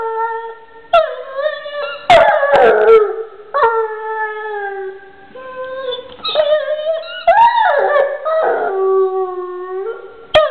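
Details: Drawn-out howling from a pet dog, mournful notes rising and falling with wobbling pitch, broken into repeated phrases and punctuated by a few clicks and knocks in a small room.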